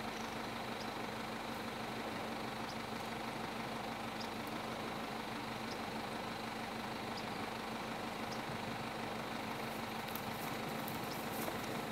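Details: A vehicle engine idles continuously under broad hiss, with faint clicks and no audible animal.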